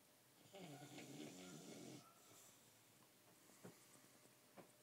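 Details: Sleeping dog Mozart, nearly one year old, snoring deeply indoors: one long rattling, buzzy inhaled snore lasting about a second and a half, followed by quiet breathing and a couple of small clicks.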